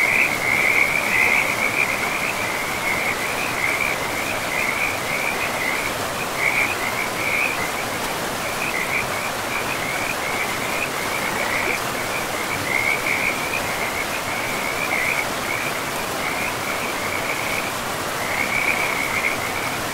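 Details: Frogs at a forest river keep up a high, fast-pulsed trilling, about two bursts each second in loose rhythm with a few short gaps, under and over a constant wash of flowing water.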